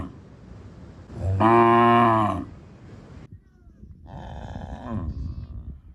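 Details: On a village farm, a cow lets out one loud, deep, drawn-out moo of about a second, richly harmonic, swelling then fading; after a pause a quieter, more nasal second call comes over low rumbling noise.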